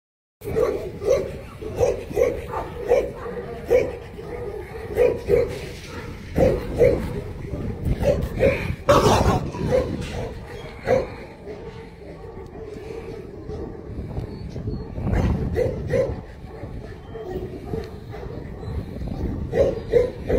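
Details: Tibetan Mastiff barking repeatedly across twenty seconds: deep, rough barks in irregular bursts, some close together and some after short pauses, with a quieter stretch near the middle and human voices mixed in.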